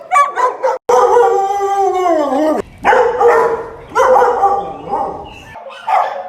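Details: Pet dog vocalising in a humorous compilation of odd dog noises: a long, drawn-out, wavering howl that slides downward over about two seconds, followed by shorter moaning, yodel-like cries.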